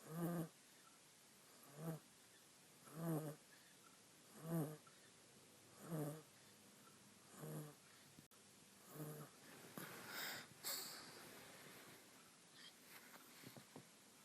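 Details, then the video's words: Asleep on a person and dreaming, a small female monkey gives six rhythmic, hoarse snores about every one and a half seconds. Then she twitches and shifts, and the snoring fades into soft rustling and fabric movement. "Cute Little Monkey Snoring While She Naps"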